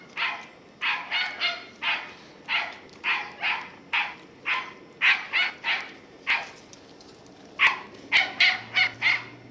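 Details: Ten-year-old Scottie Katie is out on squirrel patrol, November 2008, barking persistently. Evenly spaced, high, ringing barks come about every half second, quickening into a tight burst near the end.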